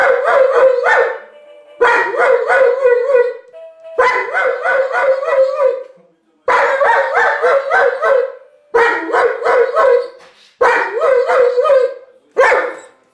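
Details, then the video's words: Pet giant schnauzer singing along in a howl; seven wavering bouts of one to two seconds, each with rapid yodel-like rises and falls, separated by brief silent gaps. "Musikalischer Riesenschnauzer"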